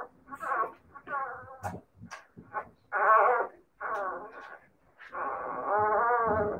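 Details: Siberian Husky puppies whining: several short harmonic cries, then a long wavering howl-like whine at the end.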